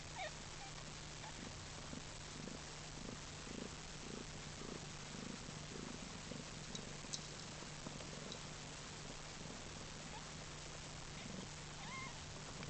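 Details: Newborn kitten purring softly, a steady run of low rhythmic pulses roughly two to three per second through the whole stretch, with a constant low electrical hum underneath and a few faint squeaks near the end.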